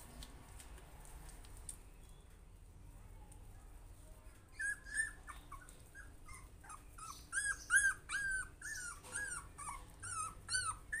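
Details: Puppy facing its fear, silent at first over a low room hum, then from about five seconds a string of thin, high whimpers and short yelps, growing louder toward the end.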